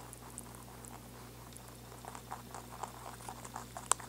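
Quiet, dry crunching comes in quick, uneven bursts as a rabbit chews, with one sharper snap near the end. A steady low hum runs underneath throughout.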